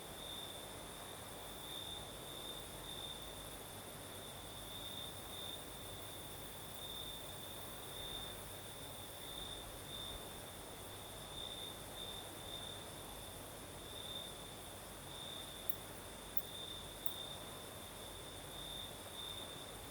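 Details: Crickets chirring at night in southern Crimea, breeze blowing: a sustained high-pitched trill broken into rapid pulses, with a faint higher whine and a few brief tick-like sounds over a continuous wind hiss.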